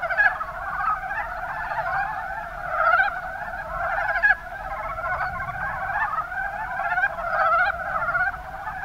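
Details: Kuma Basin, Kumamoto Prefecture, Japan: a mass of mountain brown frogs (Rana ornativentris) producing a continuous rattle of short pulsed croaks, several voices layered, with loudness rising and dipping every few seconds.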